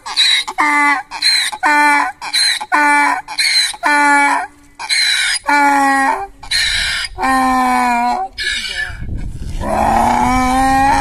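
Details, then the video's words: A donkey brays in a long series of rhythmic hee-haw cycles, with harsh high inhaled notes alternating with lower harmonic exhaled notes. The calls lengthen toward the end and finish in a drawn-out groan. "Donkey braying"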